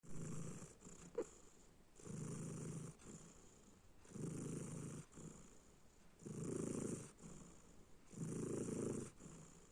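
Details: Domestic cat snoring: low, rasping breath bursts swelling roughly every two seconds, each lasting under a second, separated by quieter exhales, with a steady faint high hiss throughout.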